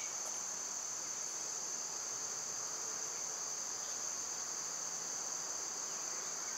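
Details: Cicadas in summer give a continuous, even, piercing hiss-like drone at high pitch. Little else cuts through apart from a faint low hum.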